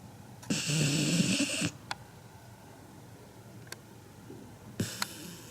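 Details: Seven-month-old Labrador Retriever puppy Kinako gives one loud snore, human-like in volume. It is a hissing, raspy breath of just over a second, followed by quiet with a few soft clicks.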